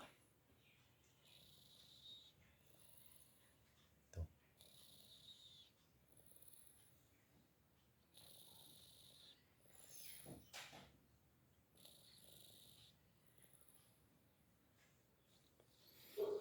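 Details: Snoring from a cat deep in sleep: airy, rasping breaths repeat about every two seconds, each a short hissing swell separated by quiet pauses, with a couple of sharp knocks.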